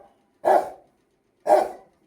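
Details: Two heavy, hoarse barks from an angry Rottweiler, spaced about a second apart, with quiet between them.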